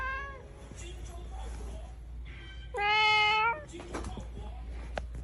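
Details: Cat and kitten: one clear drawn-out meow of under a second stands out from a busy background of low hum and faint overlapping sounds, with weaker meows earlier.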